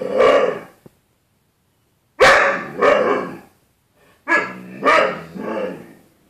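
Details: Loud rough barks from the dog Bruce Wayne confronting his own reflection, the 'other dog', in a glass closet door on 4.4.13: one bark, a pause, then quick runs of two and three barks.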